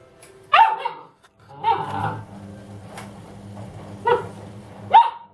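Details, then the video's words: Dobermann indoors barking at a running washing machine, a few sharp barks spaced about a second or more apart over a steady low machine hum. "Доберман Рамзес и стиральная машина"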